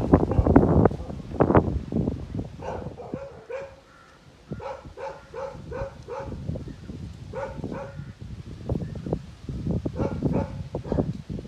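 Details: Kennel Tibetan Mastiff (Bhote Kukur) from Okhaldhunga, Nepal, giving repeated barks in loose clusters of three to five, with harmonic tones, between bursts of loud rustling and scuffing noise.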